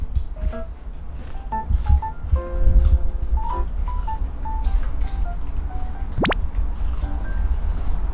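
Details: Bouncy background music with plucked tonal notes and a quick rising slide near the end, over low thumps and handling noise.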